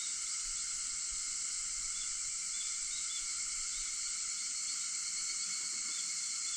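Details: Cicadas singing in the early morning of 4 August at 4:50, an unbroken shrill, buzzing drone of many insects with layered steady whines, calm and unvarying.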